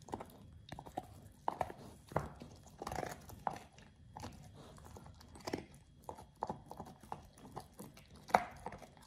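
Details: Oliang, a Pit Bull, eating a raw ostrich paw for the first time: irregular wet crunches and gnawing clicks spaced unevenly, some louder snaps, over a quiet low background.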